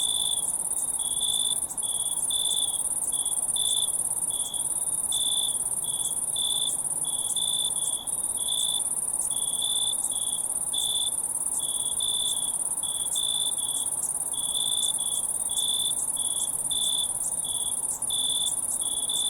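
Crickets chirp steadily, high pulsed trills repeating over a constant shrill ringing hum.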